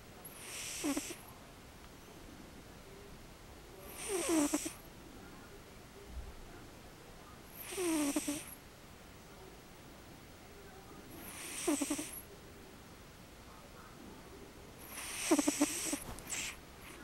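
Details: Sleeping cat snoring in a steady honk-and-whoosh pattern: five breathy bursts, each with a low nasal rasp then a hissing exhale, spaced about every three to four seconds with quiet gaps between.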